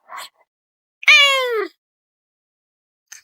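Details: Female domestic cat arguing with her human: one drawn-out meow, bright and harmonic, sliding downward over about two-thirds of a second, with brief soft noises before and after in a quiet room.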